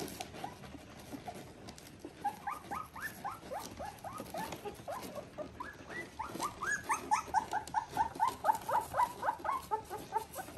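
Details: Border Collie puppies, three weeks old, litter V2 from Ori and Cru, giving a rapid run of short high whimpers and squeaks that overlap and grow louder and busier after the first two seconds.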